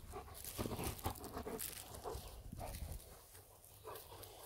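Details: German Shepherd pair, the mum and dad, at play in a garden, giving rough, gruff growling and huffing noises in quick bursts over scuffling, fading to a quieter close.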